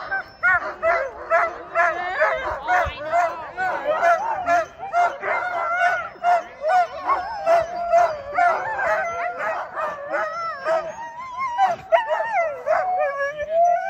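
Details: Sled dog team in Larose Forest, Ontario, Canada, excited before a run. A dense chorus of rapid, repeated yelping barks and wavering howls from many dogs blends into a continuous noisy din.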